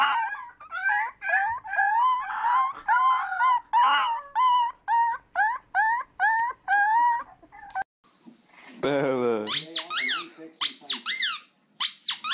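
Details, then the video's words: Puppy yips in a fast series of short, bending notes, about two each second, followed by a denser bout of overlapping cries and a few high, sharp yelps at the end. "CUTE PUPPIES HOWLING"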